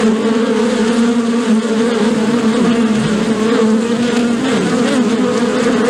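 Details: Bees humming together, possibly at a beehive: a steady, dense drone with strong tones low and just above, many overlapping wingbeats, and a brief wavering pitch near the end.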